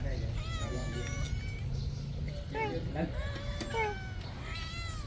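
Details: A poor kitten at a temple, eating its food, gives several drawn-out, tonal meows that rise and then fall. People talk over them throughout, with a low hum underneath.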